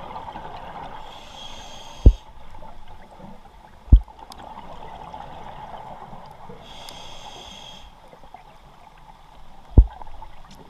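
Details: Giant 8-foot goliath grouper barking at the Zeuss tugboat wreck underwater. Three deep, abrupt booming thumps come at about 2, 4 and 10 seconds. Diver bubble hiss and water noise fill the background.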